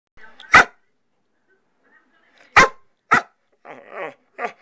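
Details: Pet dog barking indoors in a messy bonus room: sharp single barks separated by gaps, two in quick succession, followed by a softer rough growly sound and one last short bark.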